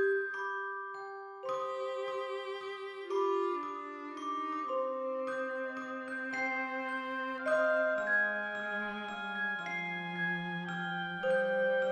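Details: Gentle mallet-percussion music with bell-like sustained notes shifting in pitch every second or two. No animal voices can be picked out.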